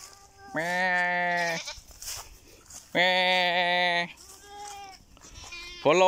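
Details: Goat bleating loudly in long, steady, strongly harmonic cries of about a second each, two full bleats followed by the start of a third, with quieter rustling and faint voices between calls.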